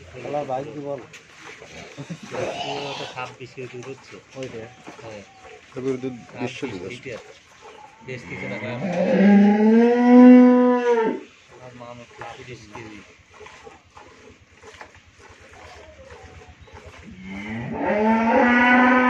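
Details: First-calf Friesian cow with her young heifer calf at a Bangladeshi farm in Pabna; a man talks throughout while the cow gives a long, low moo midway and starts another rising moo at the end.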